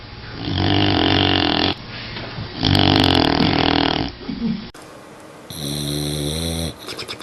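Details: Sleeping dog snoring: two long rasping, harmonic-rich snores of over a second each, then a cut to higher, nasal, whistling snores with buzzy overtones.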